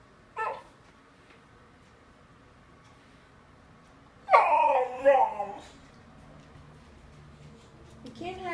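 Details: Boxer puppy wanting cat treats, giving a short wavering whine around four seconds in, after a brief yelp at the start; a person speaks nearby telling the dog it cannot have cat treats.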